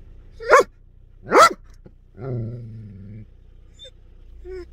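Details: Belgian Malinois, presented as a fierce guard dog, gives two loud sharp barks about a second apart, followed by a low drawn-out rumbling growl and faint background sounds.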